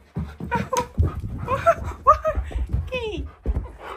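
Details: Siberian husky Key (K'eyush) shouting at its owner indoors: a run of drawn-out, wavering, yodel-like vocal bursts that slide up and down in pitch, mixed with panting and a woman's voice talking to the dog.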